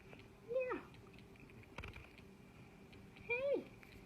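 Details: Pet cat named Pigeon, lying in bed and slow to get up, gives two short meows about three seconds apart. Each is a bright tone that bends and falls away, over a steady low hum and soft rustling indoors.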